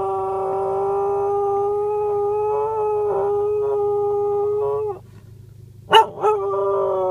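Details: Pet female cocker spaniel singing loudly: a long steady howl held for about five seconds, a brief pause, then a sharp yelp that rises into another sustained howl.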